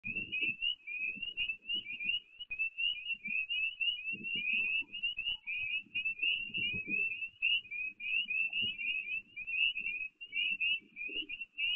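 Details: Spring peepers sing at night in full chorus along an abandoned railroad line in Forestville, New York, USA, as three whitetail deer walk by, a dense stream of high, piercing peeps overlapping without pause.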